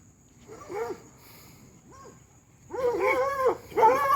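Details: Hound dogs racing Lucy along a fence give drawn-out arched baying howls. Two faint calls come first, then a loud run of overlapping bays from several dogs near the end.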